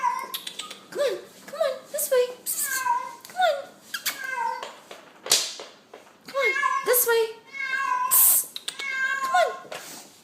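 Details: Feral cat indoors, up on the window blinds, meows over and over in short rising and falling cries while a woman keeps urging it to get down and come this way.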